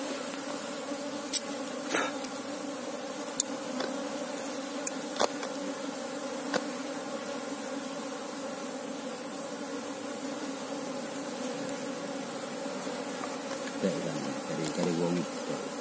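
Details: Asian honey bees (Apis cerana) during a search for the queen of a honey bee colony, a steady layered hum of many wings throughout, with occasional clicks and taps and a brief voice near the end.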